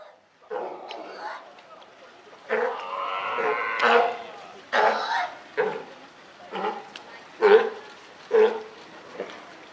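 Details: California sea lion parent and newborn baby at Higashiyama Zoo, Japan, on 28 June 2023, giving harsh, bleating honks in irregular bursts, some drawn out and others short and sharp.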